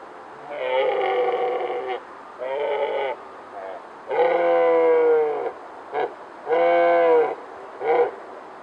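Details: A red deer stag bellows in deep, drawn-out roars, then shorter grunting calls, during the October rut in mist at sunrise, Bushy Park, London, England.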